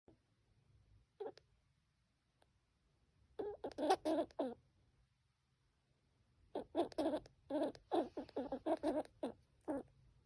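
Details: A baby squirrel suffering from pneumonia gives quick, rasping squeaks in short bursts, pausing between runs.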